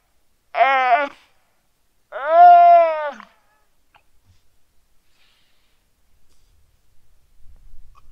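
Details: Weddell seal pup lying on the ice shelf at Terre Adélie, Antarctica, calling its mother on a quiet, sunny afternoon, 15 November 2009 around 17:30, recorded with a Rode NT4. Two drawn-out, wailing, harmonic calls, the second longer and falling, then near silence.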